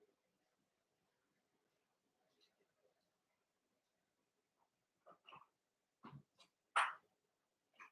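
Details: Cavalier King Charles Spaniel puppies Cooper, Conner and Jenny, born 06/09/2022, Ruby and Blenheim coats, on an overnight puppy cam indoors; near-silence gives way to short, squeaky whimpers and yelps in the final three seconds.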